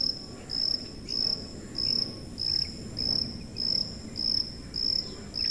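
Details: Shrill high cricket chirps sounding in a regular pulse, roughly two chirps each second, from a cricket recording meant for masking tinnitus; a low murmur of background noise sits underneath.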